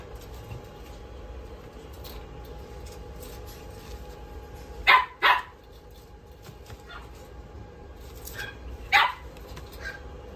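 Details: Male red-coated puppy born 5 May 2023, kept in a pet shop, giving sharp barks: two quick barks in close succession midway, then a single bark near the end, over a steady background hum.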